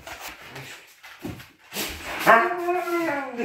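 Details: Siberian Husky indoors giving a drawn-out whining howl with wavering harmonic tones near the end, preceded by soft shuffling and faint voices.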